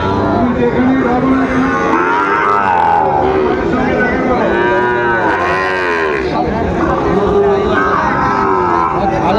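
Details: Sahiwal bull calves at a cattle market, with a farmer from Chattogram buying, recorded 17 March 2025; several drawn-out, arching lowing moos overlap, set against steady crowd chatter and bargaining voices.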